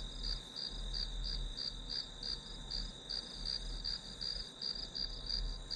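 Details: Short stretch of grass insect chorus for studying: shrill, regularly pulsed chirps near three per second, sitting on a continuous high whine with soft low rumbling beneath.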